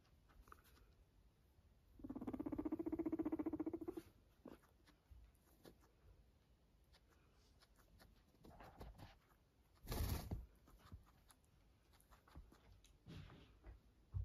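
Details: Pet guinea pig just after being washed, giving a loud buzzy, low vibrating purr for about two seconds, followed by quieter scattered rustles and a sharp short noise.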